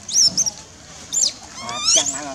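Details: Wild baby monkey named Lizza in the forest of the Angkor Park area, crying to call its mother: shrill high squeaks near the start, another brief squeal, then a longer wavering, harmonic wail toward the end.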